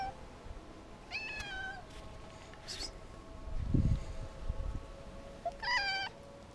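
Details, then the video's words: A male cat, afraid and hungry and needing food and reassuring touches, gives two short, thin meows several seconds apart over low rumbling background noise and a soft thud. "Why Do Cats Miaow?"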